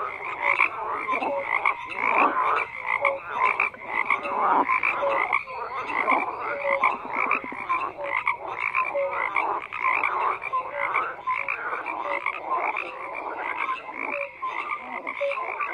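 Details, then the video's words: Dense frog chorus of many callers croaking at once, overlapping pulsed croaks stacked in bands with short tonal notes between, steady and continuous without pause. "FROGS CROAKING"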